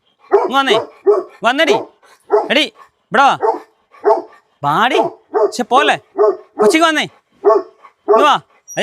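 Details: Tibetan Mastiff dog during a dog challenge, giving short, sharp barks in a loose series of roughly one per second, each bark dropping in pitch, with human voices talking over and between them.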